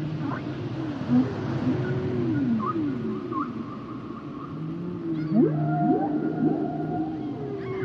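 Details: Humpback whales singing, mixing wavering mid-pitched moans with brief high chirps and long level whistles, then a cluster of steep rising sweeps near the end.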